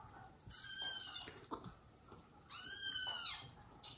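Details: Indoor domestic cats, mother cat Jaco caring for her own and foster kittens, the dad cat scolding her for leaving them; two shrill, drawn-out meows about two seconds apart over a soft background hiss.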